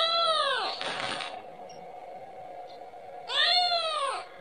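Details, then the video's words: A kitten calls for its mother, asking for milk: two loud, arched, high meows, the first at the start and the second after a three-second pause, in a small indoor room with a faint background hum. "mp3 suara anak kucing memanggil- manggil ibunya 🤣🤣🤣minta susu"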